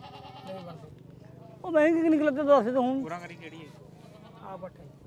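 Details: Black goat being sold at the Mullanpur mandi livestock market; one long, loud, quavering bleat lasting about a second and a half, with a shaky wavering tone, set between quieter men's voices bargaining nearby.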